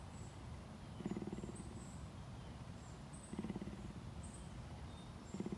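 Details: Purring captive cougar, Tampa, Florida sanctuary, giving three low buzzing pulsed bursts roughly two seconds apart, each under a second long, with faint bird twitters high above.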